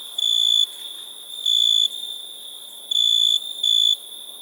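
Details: Cricket. A cricket sings in high, pure, ringing bursts, each about half a second long and spaced unevenly one to two seconds apart. A faint steady hum of other insects runs underneath.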